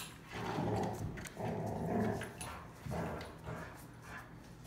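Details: Three Rottweilers playing and communicating with one another, growling as they play; low, rough rumbling growls come in about five bursts, each roughly half a second to a second long, with short pauses between.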